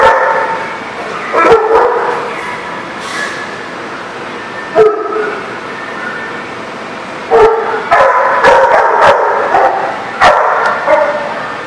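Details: Dog barking on 13 July 2019, with sharp single barks followed by a quicker run of several barks and yips near the end, spaced unevenly over a constant background drone.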